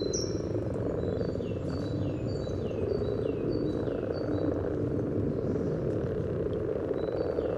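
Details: Spawning common frogs in Sunnersta, Uppsala, give an unbroken, rumbling low chorus close to the water, recorded with a Telinga parabola and Olympus LS14; brief high bird whistles and chirps recur in the background.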